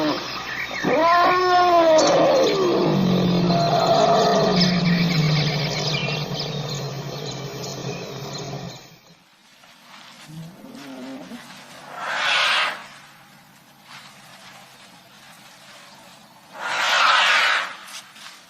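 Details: An Indian kumki elephant gives loud, bending calls that rise and fall, followed by two rough, breathy blasts.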